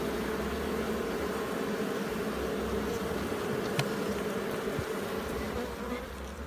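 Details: Bees at a hive being inspected in Jamaica: a dense, steady low droning buzz holds evenly from start to finish, with one sharp click near the middle.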